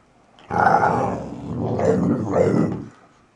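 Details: Archie, a Valley Bulldog just over three years old, growls while playing; one continuous, harsh, throaty growl of about two and a half seconds, rising and falling in loudness, in a quiet room.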